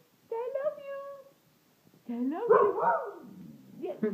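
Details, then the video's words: A hound at home answers a request to say "I love you" with a steady whining moan lasting about a second. A human voice follows, swooping in pitch as it repeats the phrase. "Amazing talking dog says I love you"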